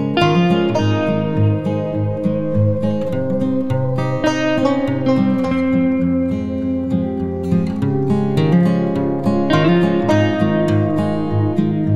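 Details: Steady acoustic guitar music with strummed and plucked chords fills the recording from start to finish, with no animal sound heard.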